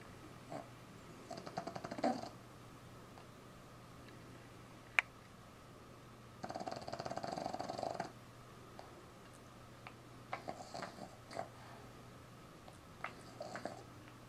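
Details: A Boston Terrier puppy sleeping with its tongue out snores indoors: soft, raspy, breathy bursts of one to two seconds, coming roughly every four seconds, over a faint steady electrical hum.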